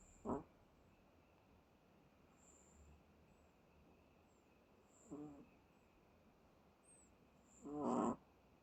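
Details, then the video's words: Chihuahua Bono in deep sleep, snoring over and over: short buzzy, ribbed snores, a faint one at the start, then a clearer one after five seconds and a longer, louder one near the end, over quiet background hiss. "Chihuahua Bono in deep sleep. Snores over and over."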